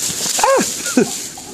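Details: Pet dog eating oranges, coaxed by its owner, gives a short rising-falling whine followed by a second brief higher whimper, with a steady background hiss.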